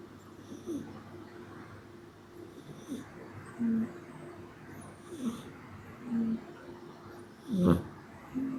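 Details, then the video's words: Sleeping cat snoring indoors: low, short, rasping snores repeat roughly every second or so, each a brief throaty buzz, with a louder snort near the end against a quiet room background. "Snoring Cat"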